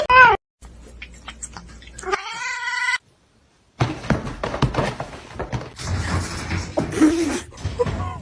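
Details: A pet cat gives a short sharp meow, then a longer level, slightly rising meow. Speech, thumps and household noise follow, and the cat does not call again.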